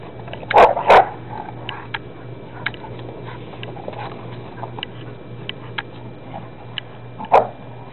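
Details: Dog barking while playing with a soccer ball indoors: two loud, sharp barks close together near the start, scattered faint taps and knocks, then a single bark near the end; steady low hum in the background.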